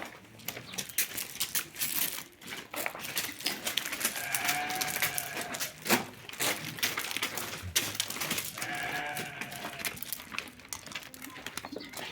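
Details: A ram offered for sale gives two drawn-out, harmonic bleats, one near the four-second mark and another around eight seconds, set against dense clattering, rustling barnyard noise throughout.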